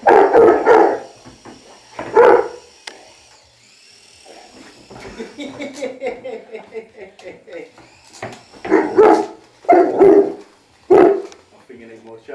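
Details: Saint Bernard puppy playing with a toy helicopter indoors, giving short, loud barks in bursts at the start and again near the end, mixed with people talking and a thin high whine from the toy.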